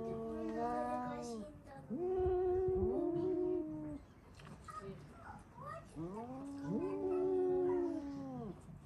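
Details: Pet cats shriek at a cat seen outside the house. Drawn-out, moaning wails come in two bouts that swell and fade, with some soft background noise between them.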